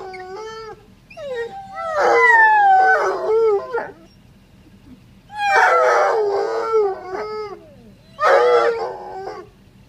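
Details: Bloodhounds greet their owner as the car pulls up after just an hour away, giving long, wavering howls that rise and fall in overlapping bursts.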